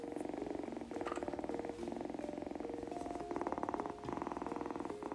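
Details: Formerly hissy feral kitten purring while being brushed after her first bath, enjoying the brushing and warming up to her rescuer; steady low rhythmic purr throughout with a woman speaking softly over it and brief handling noises.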